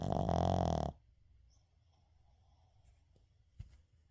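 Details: Shih Tzu called Uijung asleep and snoring indoors, recorded unedited; one long gravelly snore at the start, then quiet breathing and a brief soft snort.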